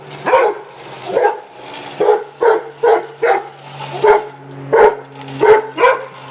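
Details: Rhodesian Ridgebacks, two dogs confronting a radio-controlled toy pickup truck, give a burst of about eleven short, deep barks, some doubled in quick pairs, irregularly spaced, over a low background hum.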